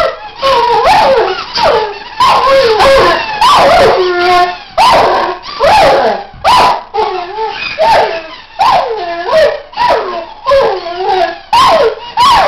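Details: A Weimaraner dog, trying to out-squeak his toys, gives loud wavering whiny howls in rapid bursts about once a second, pitch sliding up and down, mixed with sharp squeaky-toy squeals throughout.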